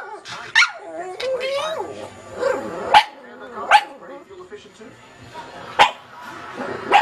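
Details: Katie, a small black pug watching animal programmes on television, yawns and barks at once: five short, sharp barks at uneven intervals cut through continuous television narration.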